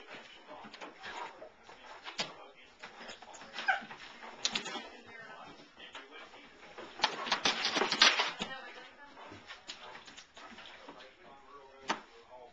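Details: Four-month-old German Shepherd puppy and a 2.5-year-old Blue Great Dane playing tag indoors around scattered dog beds; rapid broadband whimpers, yips and scuffling bursts, loudest in a busy stretch near the middle, with some human voice.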